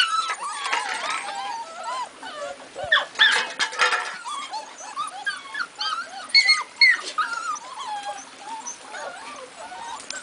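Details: Pitbull and labrador puppies whimpering and yipping: a dense run of high, wavering whines and squeaks rising and falling, several pups overlapping throughout, with brief louder yelps in the middle.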